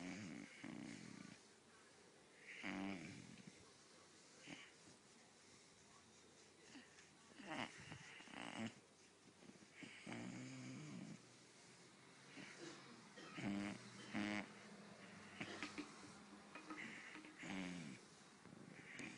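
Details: A Great Dane puppy makes a run of low, wheezy groans and snorting grunts while being massaged on his achy joints.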